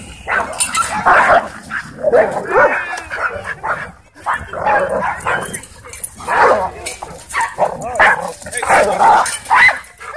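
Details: Several dogs playing wildly together at a dog park; sharp barks and yelping yips come in irregular clusters over a background of human voices.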